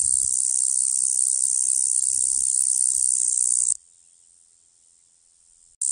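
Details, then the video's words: A piercing, narrow high-pitched cicada whine with faint clicks holds for nearly four seconds, drops to a quiet distant hum, then bursts back loud at the very end. "som de cigarra"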